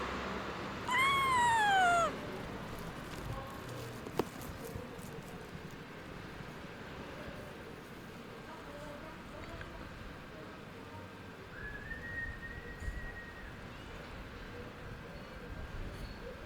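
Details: Abandoned stray kitten, left for two days in -11°C snow without food or shelter, then rescued. One loud, drawn-out meow falls in pitch near the start. Much later comes a fainter, steadier, higher cry over a constant background hiss.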